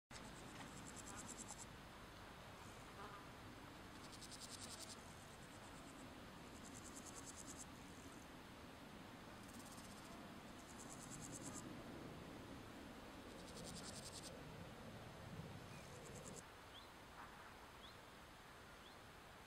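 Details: Male meadow grasshopper singing near Wassenaar on 16 July 2014, faint buzzy high-pitched bursts about a second long, repeated roughly eight times at uneven intervals over a steady hiss of background noise.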